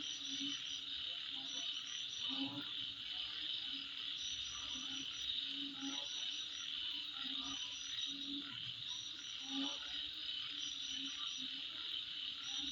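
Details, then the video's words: Midnight insect chorus: an unbroken high shrill buzz layered with brief, sharper chirps every second or so, while lower croaking notes from frogs come and go beneath. "Sound Of Insect At Midnight"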